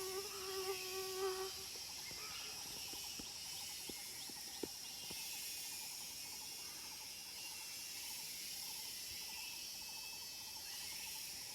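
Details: Cicadas at Phu Foi Lom, Nong Saeng district, Udon Thani, in the wild: a continuous high, hissing drone under faint pulsed trills, with a lower steady tone at the start and a few soft clicks.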